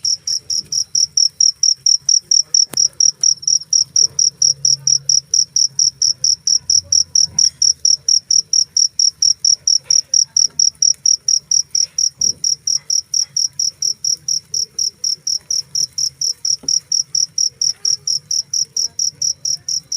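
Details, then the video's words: Single cricket chirping continuously: crisp, high pulses at a fast, steady rate, loudness holding level, with only a soft low hum and a few tiny taps in the background. "suara jangkrik"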